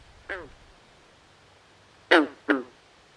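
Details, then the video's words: Nighttime swamp frogs give a single hoarse, descending croak, then after a pause a louder back-to-back pair of harsh, quack-like calls, over quiet background noise. "Natural Ambient Sounds Of Frogs At Night"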